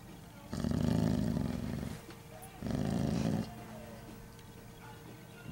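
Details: A dog that does not appreciate the camera growls in two long, deep rumbling bouts, each lasting over a second with a short pause between, then falls quiet.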